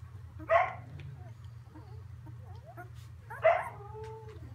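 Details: Samoyed puppies in a whelping box in Prince Edward Island, Canada, four from one litter and two from another, moving about; two short sharp yelps with thin whining tails over a steady low hum.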